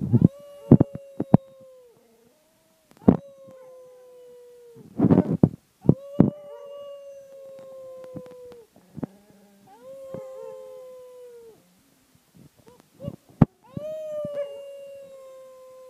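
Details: A male Cardigan Welsh Corgi howls in long, steady, mid-pitched notes held two to three seconds each; the owner thinks he treats it as a wolf pack bonding ritual.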